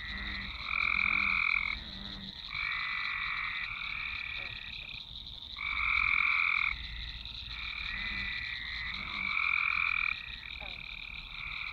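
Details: Frogs, frogs, frogs in a swamp recorded with a Nokia Lumia 1020: loud rattling croak trills rise and drop in roughly two-second bouts, several callers overlapping, plus a constant high background buzz.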